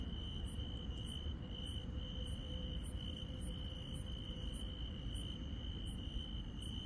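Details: A rural night chorus of insects: a steady high trill continues without pause while a fainter, higher chirp pulses rhythmically roughly every half second, over a dense low background rumble.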